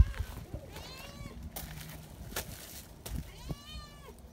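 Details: Friendly, affectionate community cats gathering in the mountains; two drawn-out, arching meows about three seconds apart, rising then falling in pitch, with sharp clicks and thumps between them.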